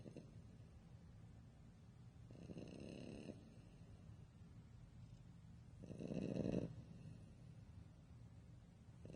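A French Bulldog snores in long, rasping breaths, each lasting about a second with quiet gaps between.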